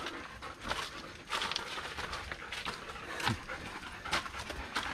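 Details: Dogs KIKI, a Doberman Pinscher, and MESSY, a German Shepherd, off leash on a 5 km uphill and downhill mountain hike reaching about 714 m; quick breathy bursts, several panting breaths each second with short louder gusts, outdoors.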